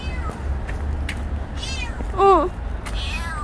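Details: Stray kitten named Petit giving one short, clear meow that rises then falls, heard over a low outdoor rumble with faint, scattered higher sounds.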